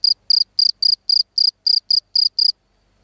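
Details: A field cricket (Gryllus campestris) gives ten crisp, high, trilled chirps in quick regular succession over two and a half seconds, then falls silent against a clean, quiet background.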